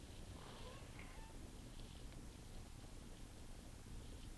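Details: Six-year-old female tuxedo cat, resting, vocalizing as a warning to an approaching camera crew not to come closer; steady low purr-like rumble with faint brief thin whines over soft background hiss.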